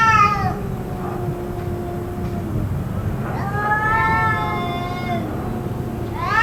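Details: Cats calling on and on in what may be a fight, lasting around two hours; long wavering moans, one low drawn-out tone, then rising and falling wails and a sharp rising cry at the end, steady low hum beneath.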